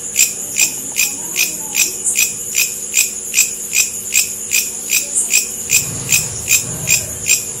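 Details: A bush cricket (long-horned grasshopper) stridulates, giving sharp, buzzy chirps in a steady rhythm of about two or three each second.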